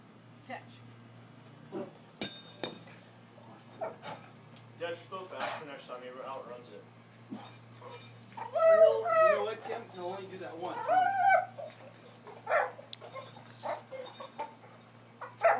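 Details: Brendel Boxer named Diesel making a ridiculous noise while holding a horseshoe in his mouth: wavering, whiny, grumbling bursts cluster in the middle, strongest near the end, amid people talking and scattered knocks and clicks.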